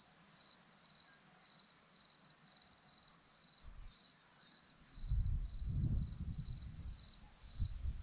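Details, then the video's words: High, ringing cricket chirps, about one and a half a second, pulse steadily from a hillside at Zorlesti, Romania, while a gusty low rumble of wind builds toward the end. "Crickets sound"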